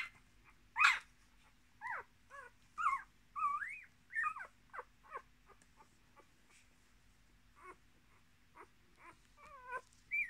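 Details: Miniature Australian Shepherd puppies from a litter of six, with their mother, born 10.03.2020: high squeaky whimpers and yelps, many rising then falling, in quick bursts about every half second, with a steady low hum beneath.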